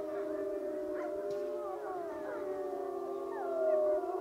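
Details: Gray wolf (Canis lupus), group howl.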